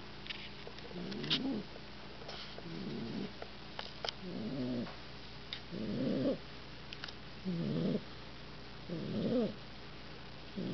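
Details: Sleeping 8-week-old Olde English Bulldogge puppy named Newman on his first night home, snoring in rough grating breaths about every one and a half seconds, six or seven snores in a row, with faint ticking sounds behind.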